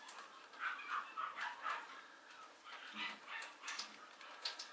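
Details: Mame Shiba puppy, a male, at a breeder in Japan, giving soft high yips and whimpers in short clustered bursts over a faint background hiss.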